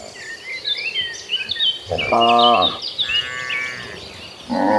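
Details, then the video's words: Dozens of gentle cattle walking toward a lush green pasture; one harmonic moo near two seconds with a higher drawn-out bellow after it, while many small birds chirp and twitter steadily behind. "Dozens of Gentle Cattle Walking Toward a Lush Green Pasture, with the Sound of Mooing Cows."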